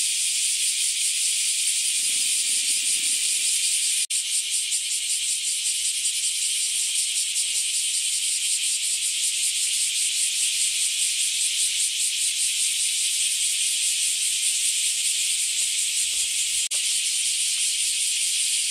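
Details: A large chorus of bear cicadas sings near a house in a hot-weather spell. Their sizzling, high buzz is continuous and pulses rapidly. There is a brief low thud early on, a sharp click near four seconds and faint low rumbles underneath.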